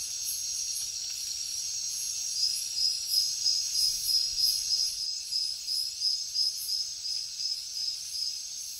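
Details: Night jungle crickets give a high, rapidly pulsed chirping at roughly three beats per second, the rhythm strengthening midway, layered over a continuous high-pitched insect hiss.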